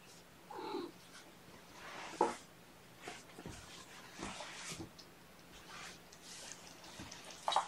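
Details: Sleepy foster kittens on a gentle wake-up cycle, snuggled up with a person on weigh-in night, 16 June 2018, indoors; one soft, short falling mew near the start and another brief mew at the end, amid rustling and handling sounds.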